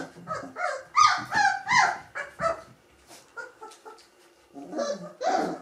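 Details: Gordon Setter pups of the E litter at three weeks; a run of loud rising yelps and whines about every half second, easing to softer squeaks, then a final louder burst.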